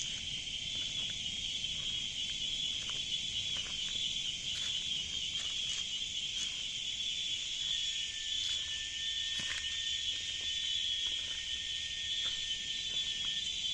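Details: Nonstop cicada song inside a jungle, an unbroken shrill high drone holding level throughout, broken only by short crackling ticks and a thin whistle-like tone near the middle.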